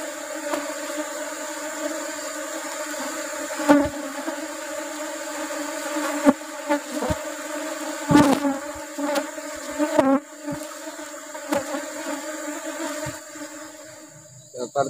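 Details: Colony of Asian honey bees opened for honey harvesting during the rubber tree flowering season. A sustained, level humming buzz runs the whole stretch while repeated sharp taps and bumps from work on the hive cut through it.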